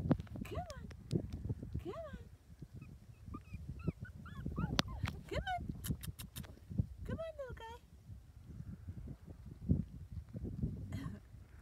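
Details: Maltese / Shih Tzu puppies, four weeks old, whimper in brief rising-and-falling squeals, some in quick clusters, while a person coaxes them with soft talk over steady low shuffling sounds.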